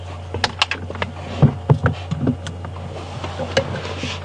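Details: Steady low engine rumble with scattered knocks and rattles from a moving vehicle; no animal sound is heard.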